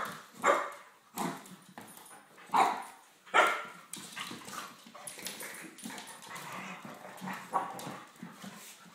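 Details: English Springer Spaniels play fighting: a father, mother and puppy together. Short barks and yips come in bursts about every second for the first four seconds, then softer growly scuffling noises and a few lighter yelps follow.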